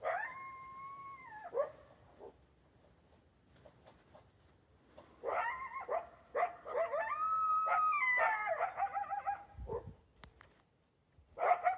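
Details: Wild coyote couple, one larger than the other, heard clearly but hidden behind a bush: a drawn-out steady howl, then after a pause a burst of quavering, wavering howls mixed with sharp yips.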